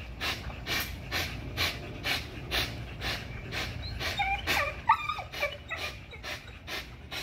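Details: XL American Bully pitbull in an extreme spring pole workout, panting in regular breathy bursts about twice a second; midway a brief high squeak and some small clatter cut through.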